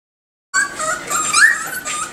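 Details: Miniature Schnauzer puppies, five and seven weeks old, exploring their surroundings: after a brief silence a high, tonal squeaking whine with bright overtones swells and rises to a sharp peak, then settles into softer, wavering squeaks.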